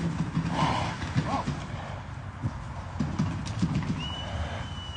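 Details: Enaaq Al Thaqeb SE, an Arabian stallion filmed in 2021, trots with muffled, irregular hoof thuds low in pitch. A sustained high whistle enters near the end, over faint background voices.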